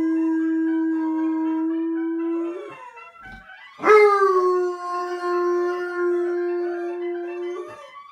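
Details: Pet bloodhound howling, or singing: a long steady tone held for about two and a half seconds, a short pause, then a louder second howl starting with a sharp onset, briefly rising, then holding level and fading after about four seconds.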